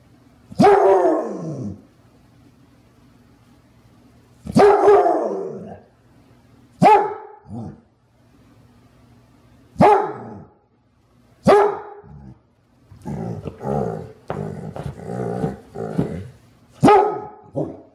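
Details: Clumber Spaniel named Jewel barking: single deep, hoarse barks spaced a few seconds apart, then a quicker run of shorter woofs near the end, in a quiet setting with a low hum.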